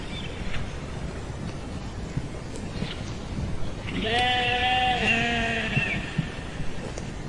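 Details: After a few quiet seconds of low background noise, a sheep gives one long quavering baa lasting nearly two seconds that trails off at the end.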